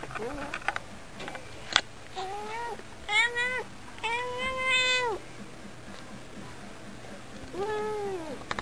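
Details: Pet cat, a talking cat, meowing in a cute voice: several harmonic meows, the longest about a second with a steady tone and a falling end, then a shorter drawn meow near the end; brief clicks and a sharp tap between calls.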